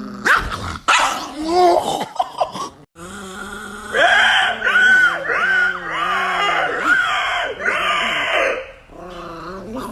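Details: Angry Chihuahua giving a run of short, harsh growling barks and yips, bunched in uneven bursts for several seconds after a loud opening clatter, with a voice heard nearby.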